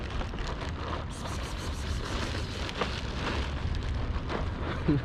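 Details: Strong wind buffeting the microphone throughout, a rough continuous roar with no animal voice heard.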